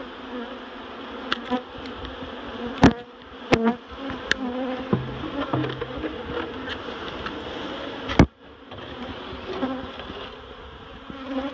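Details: Swarm of honeybees moved out of a barrel into a new home at Miss Bee Haven, droning in a continuous layered hum while loud taps and thumps from the work cut through at irregular moments.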